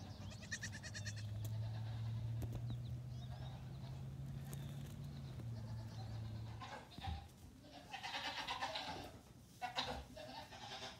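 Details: Nigerian Dwarf goat kids on a farm, aged three days to two weeks, among 48 born in two weeks, loose in the morning while their dams eat grain; a steady low hum gives way to several quick, wavering bleats near the end.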